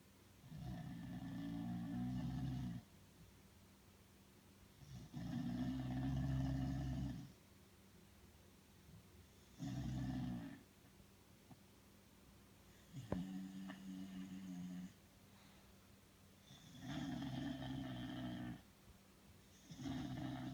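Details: Belle, a sleeping Bulldog, snores in long rasping bursts of about two seconds each, separated by quiet pauses, low and rumbling with a nasal buzz; one brief sharp click is heard midway.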